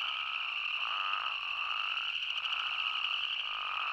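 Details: Chorus of spadefoot toads in Arizona, a constant buzzing high tone layered with wavering lower bleats from many overlapping callers, no other sounds.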